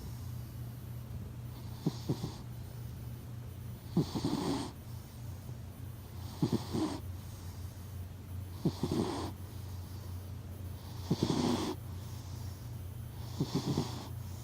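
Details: Hachi, a sleeping pet cat, recorded in close-up snoring: soft breathy bursts of hiss with a low rumbling edge, arriving roughly every two and a half seconds, six in all, over a steady low hum.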